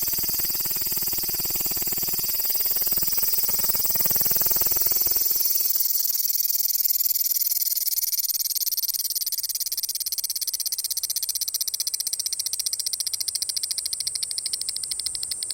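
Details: Cicada filmed up close, very loud: a dense, continuous high buzzing that fills the upper range throughout, swelling slightly around the middle, with some low rustling noise in the first six seconds.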